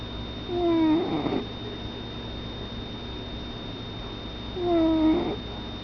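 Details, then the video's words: Pet cat named Cappy snoring: two slow breaths about four seconds apart, each a whistled, slightly falling nasal tone with faint overtones, ending in a soft breathy rush, over a steady faint high whine. "My Cat SNORING"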